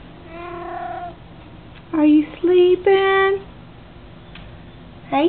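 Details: Mr Tesla, a pet cat of about 16 pounds, lounging in the morning sunshine on a Saturday; a long harmonic meow followed by three short, loud rising-falling meows in quick succession, with a person speaking softly to him before and after.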